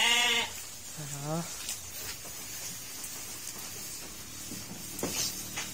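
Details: Fattening pen of local sheep fed fresh greens in Wonosalam: two quick bleats, one at the start and another a second later, with a bent, quavering tone, followed by hissy background noise and faint human talk.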